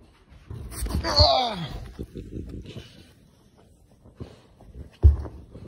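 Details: During a tantrum, a French bulldog lets out one drawn-out yelping whine that slides downward over about a second, followed by quiet shuffling and a sharp thump near the end.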